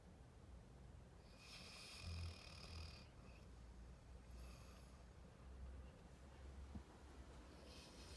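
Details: Labrador Retriever puppy Rocky snoring while asleep: a deep, rough snore with a high whistling hiss, a shorter second snore about two seconds later, and a low continuous rumble beneath.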